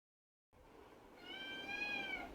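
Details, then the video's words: Kitten in a cage, wanting to be let out, meows at its owner: after half a second of silence, one long, drawn-out, slightly rising then falling meow, steady and harmonic, with faint room hiss. "Pavi kutty is arguing with me to come out of the cage"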